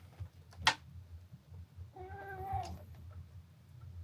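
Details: Young male red tabby and white cat, rescued as a kitten, at a veterinary clinic in January after suspected epileptic seizures: one drawn-out, harmonic meow of about a second, with a sharp knock just before and low room hum throughout.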